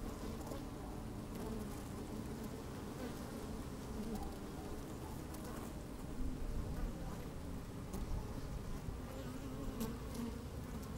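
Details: Steady low hum of honey bees at work in an opened hive, microphone placed inside, sunny day with some wind; a dense even drone with faint wavering tones and a slightly louder stretch midway.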